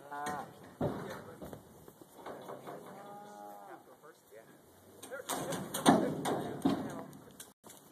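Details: Black Angus cattle during trailer loading at a leased property before a short road haul; faint, short moos early on, followed by loud clanging, thumps and rattling of the trailer.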